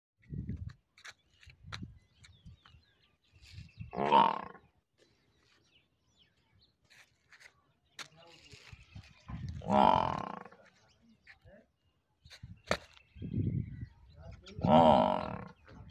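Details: Murrah buffalo bull, a dairy breed from Haryana and Punjab, India: three loud, rough, drawn-out bellows roughly every five seconds, each rising in strength, with softer grunts, clicks and knocks between them.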